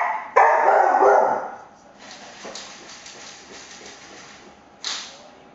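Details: Cocker spaniel reacting to blinds being played with: one long, loud, harsh bark-howl lasting about a second and a half, then quieter rustling and a short final bark.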